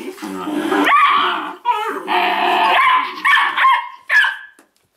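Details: Weimaraner pups from the Indigo and Magnum pairing, with loud, closely spaced yips and whines, strongly harmonic and rising and falling in pitch, in a steady run of about four seconds.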